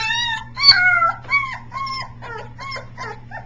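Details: Three-week-old Briard puppy practising howling, recorded July 15, 2009, sometimes sounding like a peacock: a run of short, high, wavering harmonic howls, each a second or less, some rising then falling, over a steady low hum.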